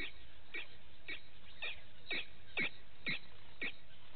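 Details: Morning vervet monkeys at a Sabi Sand waterhole, South Africa: sharp chirp-like notes that drop steeply in pitch, repeated about every half second and growing louder toward the middle.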